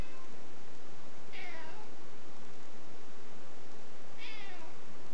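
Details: Niko, a pet cat described as nervous and looking behind him, gives two short falling meows about three seconds apart over steady background hiss.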